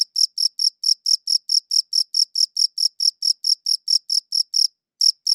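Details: Crickets chirping on a good audio recorder: a quick, regular run of about twenty shrill, high chirps, then a brief half-second pause before the chirping resumes, with no other sounds present.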